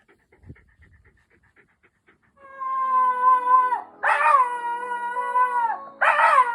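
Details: A pet Shiba Inu singing from the countryside gives long sustained howls, a steady tone held for over a second that then drops, followed by two louder, rougher rising howls.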